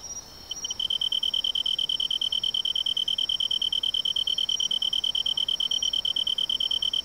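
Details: Tree cricket of the kantan group singing in autumn in woodland along a major river in Japan: a loud, steady, high-pitched trill made of rapid even pulses, starting after a short quiet moment, with a fainter higher insect tone above.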